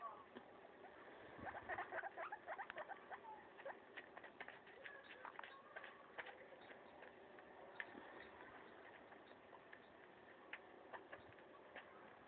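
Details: Maso the guinea pig munching a leaf: a dense flurry of sharp crackling bites early on, then sparser, irregular crunchy clicks trailing off, with a soft steady hum underneath.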